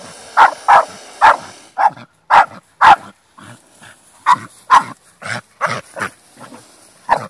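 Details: Staffordshire Bull Terrier barking in a fight, loud abrupt barks in uneven clusters, some doubled, roughly two per second with short gaps between.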